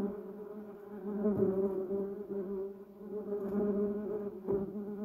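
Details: Bumblebees buzzing around a flowering yellow cassia bush and duranta erecta: a steady droning hum with a strong low tone and stacked overtones, swelling and fading as bees fly near and away.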